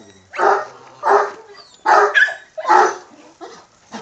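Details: An angry, aggressive young Kangal gives six deep, hoarse barks spaced roughly every half to three-quarters of a second, each a rough burst fading quickly, in an otherwise quiet setting.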